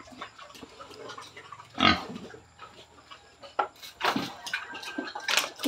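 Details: Pregnant sow at 112 days, near farrowing: scattered rough grunts and snorts with a louder burst near two seconds and more toward the end, over a low steady hum and pen clatter.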